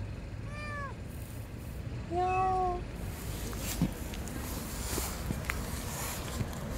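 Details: Tiny lost kitten hiding under a car, giving two clear plaintive meows about two seconds apart, followed by rustling and outdoor background noise.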